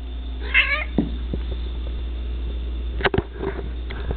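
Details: Chewy, a pet cat eating ants in a bathtub, gives one short meow of about half a second, bending downward, followed by soft clicks and taps against a steady low hum.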